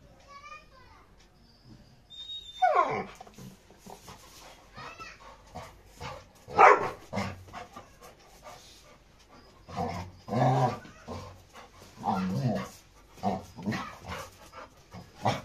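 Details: Aggressive Labrador retriever named Rony fighting with Radhe; loud harsh bursts of snarling and barking come in uneven clusters between quieter stretches, with human voices talking over the scuffle.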